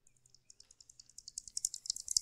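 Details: A bat's echolocation "song", which varies by species, comes as high, sharp ticks that speed up and grow louder, used to judge distance.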